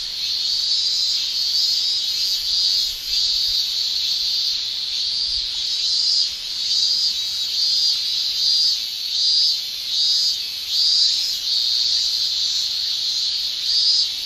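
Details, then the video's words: Shrilling of male cicadas in summer Japan, sounded by the tymbals. A steady high buzz runs throughout, and in the second half it pulses in rhythmic swells roughly once per second. "Japan Summer Cicada Shrilling Relaxing Sound"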